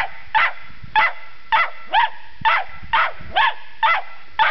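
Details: A Cairn Terrier barks at a dead polecat it isn't convinced is dead: short, sharp, bright, slightly rising yappy barks in a steady string, about two per second.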